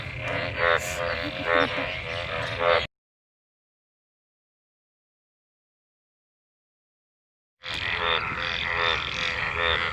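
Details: Mating frogs gathered in rain-filled water after the monsoon: a busy chorus of rough, rattling croaks, cut off by several seconds of total silence before the croaking resumes.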